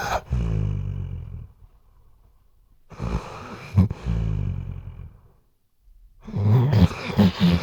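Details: Sleeping Weimaraner snoring, captured on a RODE NTG3B microphone: deep rumbling snores in bursts of about one to two seconds, separated by near-silent pauses, ending in a rougher, rattling stretch.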